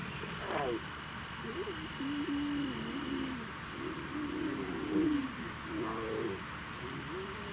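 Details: Lion (Panthera leo) cubs give wavering, moaning mews in short bursts, one after another.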